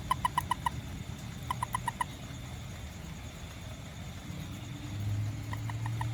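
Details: Small toad out after rain, hunting ants around a home and garden; short clear pips in quick bursts of four or five, each burst separated by a pause, over a steady low hum.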